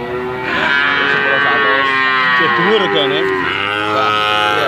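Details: Bali cattle, medium-sized animals ready for slaughter, at a livestock market. Overlapping wavering moos, rising and falling, sound over a steady mix of bellowing harmonics through nearly five seconds.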